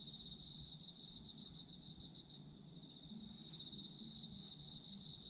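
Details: Autumn insects calling for sleep sounds, a dense high chorus of chirps with a steady ringing trill, several callers overlapping in pulsed bursts with faint low hum beneath.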